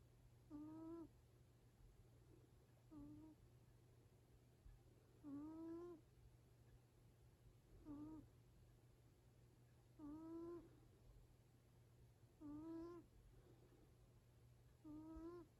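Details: A seven-year-four-month-old Exotic Shorthair cat called Yaju snores in its sleep. Seven nasal, whistling 'puu-puu' snores rise slightly in pitch and repeat every two to three seconds in a quiet indoor setting.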